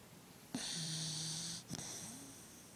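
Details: Pet dog, male, asleep indoors and twitching in his sleep, snoring: a long breathy hiss of about one second with a low steady hum underneath, then a shorter second breath that trails into a soft rising tone.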